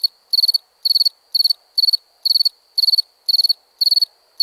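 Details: Chirping crickets at night: each chirp a quick burst of four or five pulses, repeated about twice per second in an even, high-pitched rhythm.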